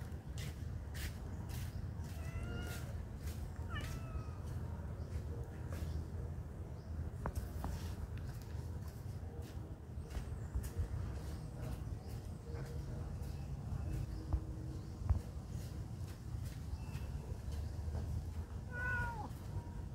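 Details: Cats living at a pagoda, described as friendly, give a few short separate meows early on and one more near the end, against constant low background rumble and occasional knocks.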